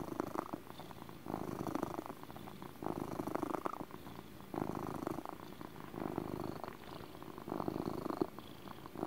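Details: Soft, lower-level purring from a male house cat, gentle rumbling swells every second or two, less distinct than a full motor purr, with light background hiss.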